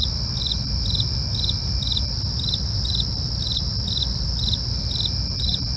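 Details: Nocturnal crickets produce short trilled chirps repeated about twice each second, set against a continuous high-pitched insect drone and deep background rumble.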